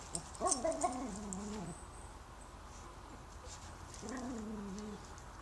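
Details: A puppy meeting a new neighbour lets out a long, wavering whine, then after a pause a second drawn-out whining cry over a steady low hum.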